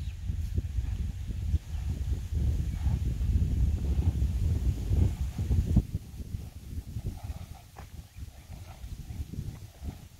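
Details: Percheron gelding under a rider outdoors; dull, low thudding hoofbeats at an uneven pace of roughly 107 per minute, loudest in the first half, over a steady low rumble of wind-like background noise.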